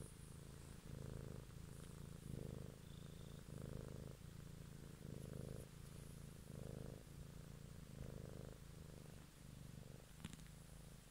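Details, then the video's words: House cat purring in an evening ASMR recording; deep rhythmic rumble rising and falling about eight times, each breath cycle roughly a second long, with a short click near the end. "ASMR Cat song"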